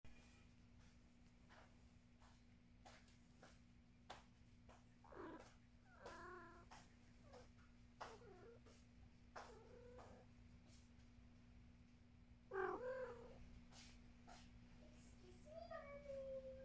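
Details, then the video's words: Domestic cat making soft, quiet chirping meows, spaced irregularly, with a couple of short harmonic calls near the end, over a steady low indoor hum. "Simple sound the cat"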